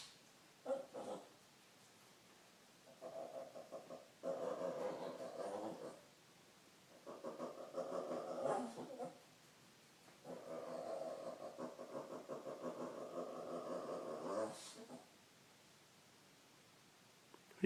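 A Shih Tzu makes odd, throaty grumbling groans in drawn-out bursts with short pauses between.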